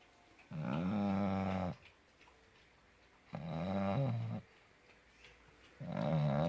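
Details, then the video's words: Puppy snoring loudly in its sleep indoors: three long, rasping, harmonic-rich snores, each over a second, separated by quiet pauses, roughly one breath every two to three seconds. "Храп щенка."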